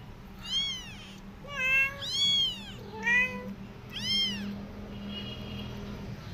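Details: Mother cat back with her kittens after two days away, nursing them with milk; five high, arching meows in quick succession over about four seconds, with a steady low hum beneath.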